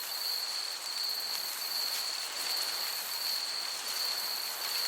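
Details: Crickets chirping in a summer meadow, a thin, very high trill held almost without break and swelling gently about once a second, over a soft, steady hiss of breeze.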